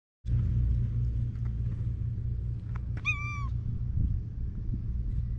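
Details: Stray cats at an evening gathering: a single short meow with a flat, slightly falling tone lasts about half a second over steady low rumbling outdoor background noise.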